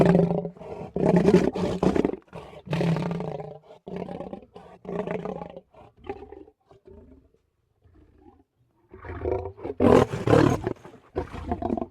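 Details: Two leopards (Panthera pardus) growl in harsh, rasping bursts, with a brief quiet pause before the growling resumes.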